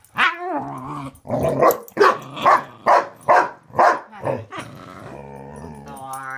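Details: Karma the corgi and Thor the pitbull play hide and seek, with growling from under the bed: a run of about eight rough, harmonic growl-barks spaced under half a second apart, ending in a low rumbling growl.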